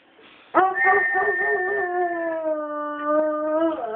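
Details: A foxhound answers a whistle with one long, drawn-out howl. It starts abruptly, holds a rich, steady tone that slowly sinks in pitch, and swells slightly near the end.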